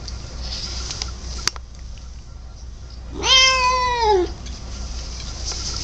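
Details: Pet cat indoors uttering one drawn-out meow lasting about a second, steady then dropping at the end, rich in overtones, against a quiet background with a low hum.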